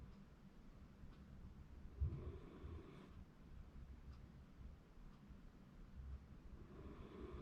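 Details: Sleeping Shiba Inu snoring indoors in January 2024. Faint, low rumbling breaths with soft breathy bursts near two seconds and again toward the end, over a quiet background hum.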